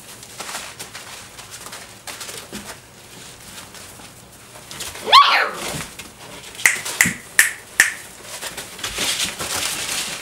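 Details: Six-week-old Dobermann puppies playing together with a flirt pole indoors: one sharp rising-falling squeal, then a run of four short high yelps about half a second apart, over scuffling and rustling.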